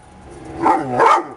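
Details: A dog, one of the happy pups, gives two drawn-out, tonal yelping calls, the second bending upward.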